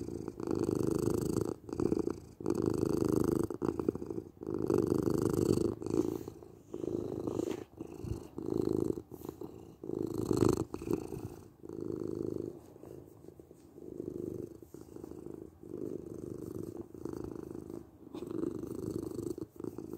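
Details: Domestic cat purring for relaxation, a strong rumbling purr in quick cycles during the first half, then growing softer and more even as it continues, with no other sounds.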